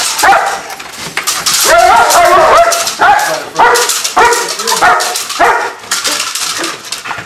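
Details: German Shepherd named Bucca, a stud dog, during a bite demonstration at a training facility: a run of loud, harsh barks repeated roughly every half second, with handling noise and scuffling throughout.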